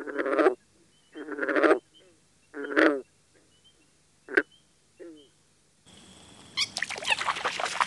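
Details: Green frog (Rana clamitans) gives short, twanging, banjo-like gulps, with a noisier rustling passage at the end.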